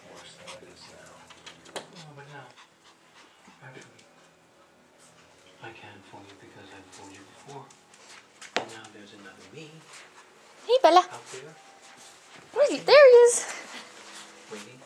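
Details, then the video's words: Pet dog Bella playing with the new puppy Skyler: soft scuffling and panting, then two sharp high whining yelps with bending pitch near the end, with people talking quietly in a small room throughout. "Dog playing with new puppy"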